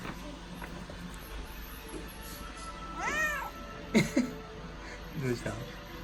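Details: Pet cat named Odeko meowing as if wanting to say something: one clear arched, harmonic-rich meow near three seconds, then short lower chirps and a brief murmur, over steady low household background with faint human speech.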